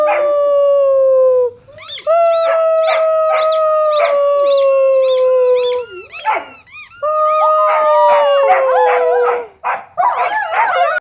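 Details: Two dogs, a Weimaraner and an Old English Sheepdog, during play time, stirred up by squeaky noises: drawn-out howls held for several seconds each, punctuated by fast, regular squeaky pulses and a yelping flurry at the end.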